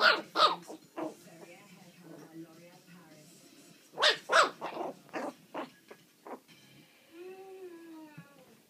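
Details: Loose, playful puppies four weeks and four days old, loud squeaky barks in quick pairs and scattered yips, settling into a single drawn-out, slightly rising whine near the end.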